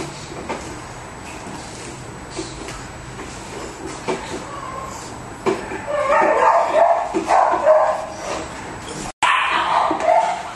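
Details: Pomeranian dog, sick, quiet at first, then breaking into a run of high, tremulous whines and cries during the second half.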